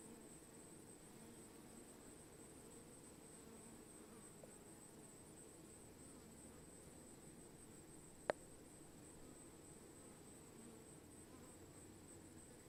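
A swarm of honey bees gives a steady, low, droning hum of many wings at once.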